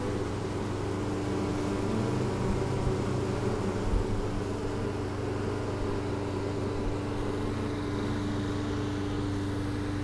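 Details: Honeybees signalling emphatically in spring 2013 after their overwintered hive was cleaned and moved, filmed on a GoPro Hero3; continuous low buzzing hum, slightly uneven and pulsing, with a steady tone throughout and faint bumps.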